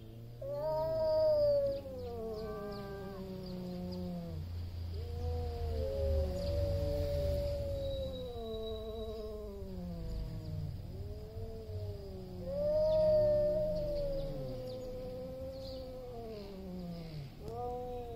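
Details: Loud meowing from two big male cats just before a territory fight: a run of drawn-out, wavering yowls that rise and fall, overlapping at times and swelling in loudness, with low background rumble.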